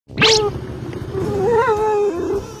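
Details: A black dog, very happy while out on a walk, gives a pig-like squeal: a sharp rising yelp, then a sustained wavering nasal squeal held for about two seconds, with a person starting to speak afterward.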